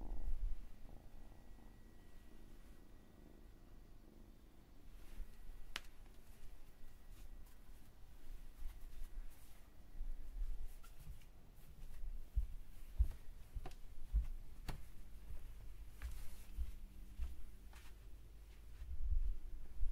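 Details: Domestic cat purring softly as a low, steady rumble, with scattered clicks and rustles nearby in a quiet indoor setting.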